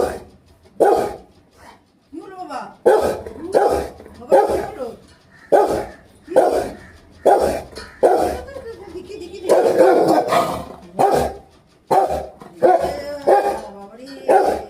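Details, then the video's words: Pet Rottweiler, angry, barking repeatedly in loud harsh bursts about once every second, fairly irregular, with a woman speaking soothingly over and between the barks. "Lucky ko itna gussa kyon"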